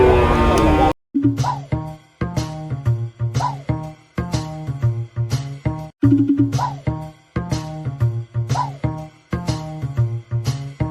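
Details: A short burst of speech gives way to rhythmic plucked music with steady beats.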